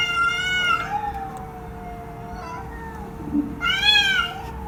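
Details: Domestic cat giving two clear, harmonic-rich meows, one at the start and another about three seconds later, each under a second long. A steady faint hum runs underneath.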